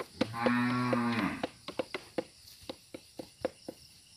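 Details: Cattle kept as breeding stock for free-roaming in oil palm plantations: a steady, low, droning moo of just over a second, then a run of sharp knocking clicks about four per second, like hooves or wood.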